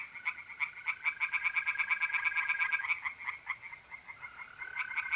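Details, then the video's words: Tree frogs singing by night in a pond in north-east Italy in mid April: rapid, regular pulsed croaks in a dense chorus, with a steady tonal trill of mole crickets running beneath for several seconds. "relaxing singing tree frogs in pond and trilling mole crickets by night"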